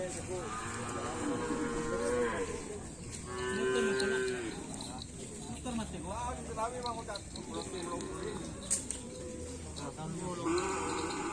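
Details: Racing cattle from a karapan sapi team, Indonesia, lowing repeatedly: several long, sustained moos, some rising and falling, others short and choppy, layered with music and occasional human voices.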